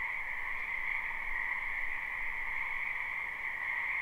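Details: Frogs of a spring wetland croaking en masse, captured live without looping; a seamless, steady chorus drones on throughout.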